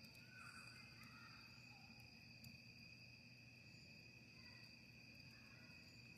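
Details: Crickets at a camping site outdoors, by a campfire: two steady, continuous high-pitched trills hold unbroken throughout, over a low crackling rumble, with faint distant bird calls above.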